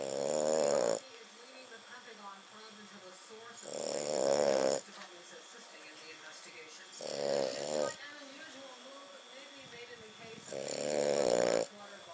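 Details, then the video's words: A French Bulldog sleeping on the couch beside a person snores loudly like a man, harsh rasping snores roughly every three seconds, each lasting about a second, with quiet breathing between. "French bulldog chaos snoring like a man"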